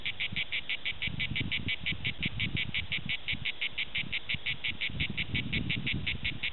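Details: Cicada orni song recorded at Prades, a fast regular series of short rasping pulses about three per second, over intermittent low rumbling bursts of background noise.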